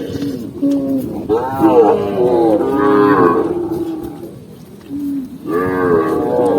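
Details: Tame cow walking through green forest countryside, producing a series of arching, harmonic moos, loud in the middle, a softer short low, then another rising call.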